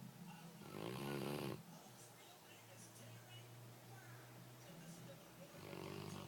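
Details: Sleeping pet dogs Dee dee and Lillie, Dee dee snoring loudly; a harsh, rattling snore swells and fades, a low droning hum follows, then another snore begins near the end over faint room noise.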